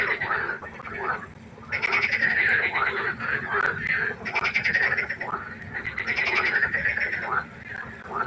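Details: Pond frogs at night keep up a steady rattling chorus, with pulsed croaks repeating in overlapping bouts and little silence between them.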